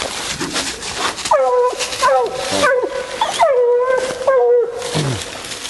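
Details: Female bluetick hunting raccoons, letting out drawn-out bawling howls, each held level for about half a second before dropping, several in a row, after a stretch of rustling noise.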